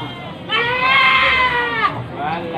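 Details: Drawn-out, shaky, high bleat from a goat among a pickup load of roughly forty mostly female Javanese and Etawah goats at Panggul market, Trenggalek, Indonesia, followed by a fainter second cry.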